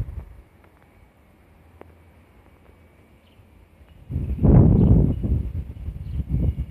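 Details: Black Shiba Inu dog twitching its nostrils while sniffing. Near silence for about four seconds, then a run of close, breathy snuffling puffs in quick succession, fading, with one more short burst of sniffs near the end.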